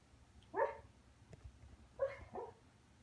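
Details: A pet dog asleep making soft yipping, muffled bark-like noises: two short pulses near 0.6 seconds, then a pair around 2.0 and 2.4 seconds, over a quiet indoor hum.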